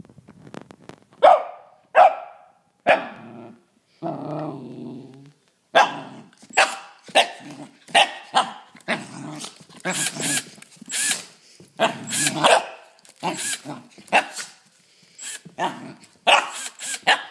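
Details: Gus, a six-month-old Pembroke/Cardigan cross corgi puppy, confronts a drill, torn between attacking and playing: sharp yappy barks in quick bursts, some drawn into growly whines, growing denser and harsher toward the end.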